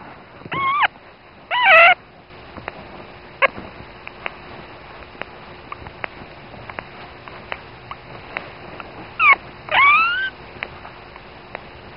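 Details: Newborn female dachshund puppy named Htamíka, the first pup of her mother Peleia, recorded 16.01.10 giving her first squeaks and cries: high, thin, rising squeals in two pairs, one near the start and one after nine seconds, with faint ticking clicks between.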